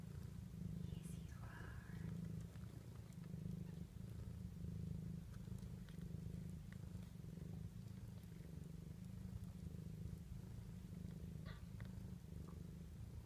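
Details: Low, rhythmic purring, unbroken throughout, from Lucy the cat with her 2-day-old kittens nursing. There are brief thin squeaks near the start and end, and light rustling.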